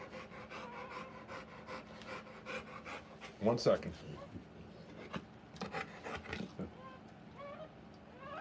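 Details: During the birth of her puppies, a Rottweiler pants in quick breathy bursts while a person speaks briefly in the middle, with the panting continuing afterward.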